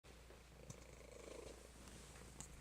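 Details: A fat domestic cat purring indoors, said to purr like a mad beast: a low, steady rumbling drone runs through the whole clip without pause, with a few faint soft clicks and rustles above it.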